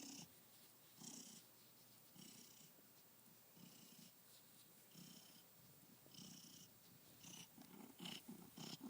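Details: A male domestic cat purring by a window sill, only a few hours into his new home and happy; soft rhythmic purring in pulses about a second apart, with rustling and a quiet indoor room.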